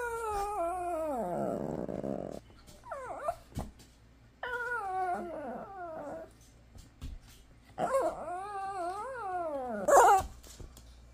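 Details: Indoor Shih Tzu 'talking': long, warbling howl-like whines sliding down then up in pitch, several expressive phrases with brief gaps, ending in a sharper yelping burst, plus a few thumps in the room.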